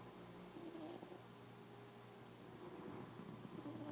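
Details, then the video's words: Domestic cat asleep indoors, dreaming and snoring: a soft, low, continuous rumbling drone with faint breathy swells rising and falling, heard quietly at close range. "Snoring cat"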